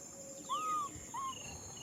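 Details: Baby macaque crying out for a hug: two clear, arched, whistle-like cries, the first long and the second shorter, rising then falling in pitch, over a steady high electronic hiss and faint low rumble.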